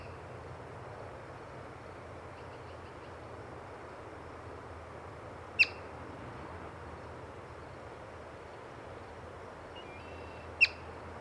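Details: Yellow-bellied marmot, found while birding, gives two sharp, piercing chirps about five seconds apart. Each note is brief and high, heard over a steady low hiss and rumble of outdoor background noise.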